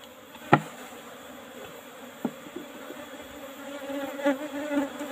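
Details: Honey harvest from Asian honey bees (Apis cerana) in an old box hive; low humming buzz that grows slightly louder toward the end, broken by a few sharp clicks and knocks from handling.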